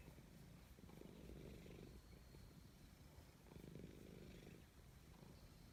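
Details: Low, rumbling purr of a cat being petted in woodland, swelling in two clear breath cycles and fading between them, over a quiet outdoor background.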